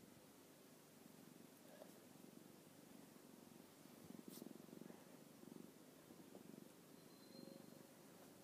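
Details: Purring from an orange tabby cat content after play with its owner: a low, pulsing rumble in rhythmic bursts that grows louder in the second half, with a brief sharp tap in the middle.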